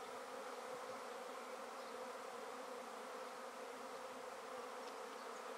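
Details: A basket holding a freshly taken honey bee swarm hums with a full, steady drone of countless wingbeats, level and unbroken, with a few faint passing buzzes.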